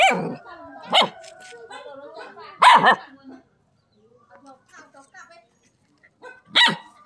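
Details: Dog barking at a non-venomous frog snake: sharp, high yaps about once a second, a double bark, faint whimpering in a lull, then one final loud bark.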